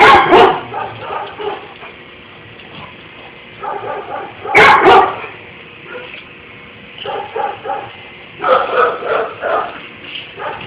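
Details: Pit bull leaping about to see what is happening around him, letting out sharp barks in clustered bursts, some doubled, separated by quieter stretches of a few seconds.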